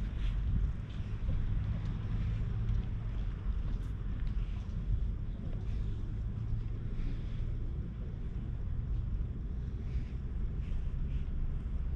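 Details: Heavy low wind rumble buffets the microphone throughout, with faint indistinct background sounds and no animal voice heard.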